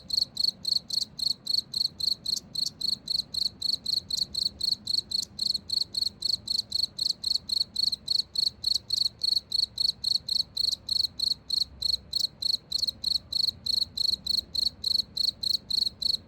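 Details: Cricket chirping steadily, with sharp high pulses repeating about four times a second in an unbroken, slightly uneven rhythm over a faint low background hum.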